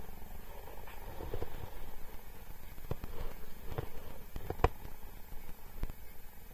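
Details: Captive cheetah James at Cheetah Experience purring while interacting with a man: continuous deep, even rumble, broken by scattered sharp clicks and one louder knock near the middle.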